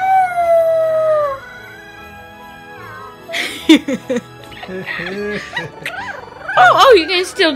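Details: A roughly 3.5-week-old male French Bulldog mix (Royal Frenchel) puppy that loves to talk and sing gives thin, wavering howls that slide downward in pitch, with music and voices.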